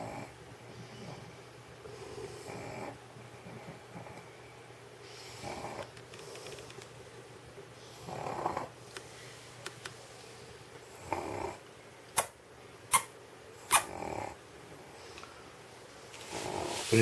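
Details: Elderly stray dog dozing on a warm indoor floor in Sheregesh after a meal of sausage; softer, muffled snores every few seconds, joined near the end by a few sharp clicks and rustles.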